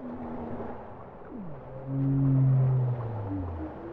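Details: Bowhead whale song: a quick descending swoop, followed by a loud, deep, sustained moan with strong harmonics, set against steady hissing water noise and faint higher tones.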